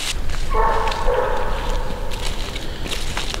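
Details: Coonhound Widow Maker, a daughter of two-time world champion Grays Rack Em Willy, coon hunting and locating game at the edge of a ditch; one long, drawn-out bawling bark over rustling and footsteps outdoors.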